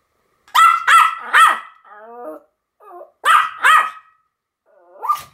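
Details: Pomeranian dogs named Sam and Marin barking together in a duet: sharp high yaps in quick pairs and triples, with softer whining whimpers between the bursts.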